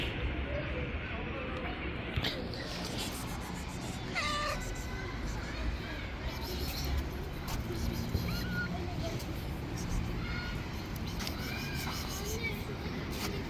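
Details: Group of very hungry stray cats living on the street, several short meows rising and falling at irregular intervals, some overlapping, over a steady noisy outdoor background.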